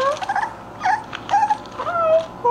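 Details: English Bulldog puppies playing, giving a run of short high whines and squeaky yips, some rising and falling, in quick bursts with brief pauses between them.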